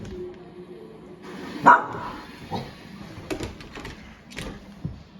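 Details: Bull Terrier puppy named Beaudacious reacting to a balloon for the first time gives one sharp, loud bark midway, followed by softer yips and grumbles, while a person keeps urging it to get and bite the ball.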